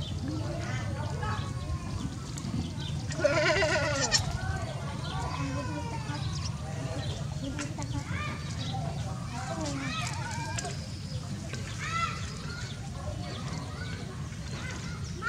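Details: Goats bleating after a goat gave birth to many young: many overlapping, wavering bleats rise and fall in quick succession over a steady low rumble, with voices now and then.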